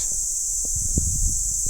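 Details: Cicada, called kuliglig locally, heard beside a country road in Pangasinan: a continuous shrill buzzing drone dominates, with low thumps and faint clicks underneath.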